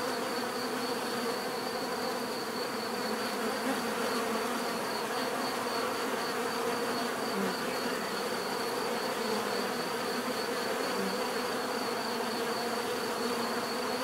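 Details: A constant swarm-like buzz of bees, a thick droning hum that holds level for the whole stretch, with a faint sustained high-pitched tone in the background.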